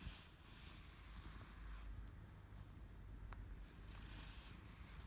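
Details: A male British Shorthair cat purrs loudly with pleasure while being brushed, a steady, low, rumbling pulse that continues throughout.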